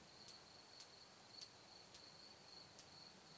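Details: Isophya camptoxypha, the curve-tailed plump bush-cricket, at Hohenbrugg an der Raab, Austria, 4 June 2021. Five sharp, very high single ticks come about every half second, with a faint steady hiss behind them.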